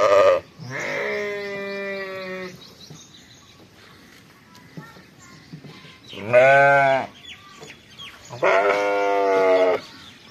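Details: Three separate lamb bleats from a sheep farm's fall lambs: a long wavering baa, a short sharp one after a quiet stretch, then a final drawn bleat, with faint farmyard background between calls.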